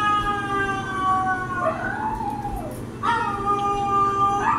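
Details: Dogs Denali and Echo reply to played-back calls of Mishka and Laika with a sustained howl that sags and rises, then a second long, steady howled note, over a constant low household hum.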